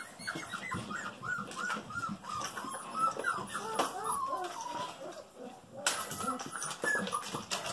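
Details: Golden Retriever puppies, female, just over five weeks old; a run of high, thin whimpers and squeaky whines from several pups, rising and falling quickly, with a woman speaking softly nearby.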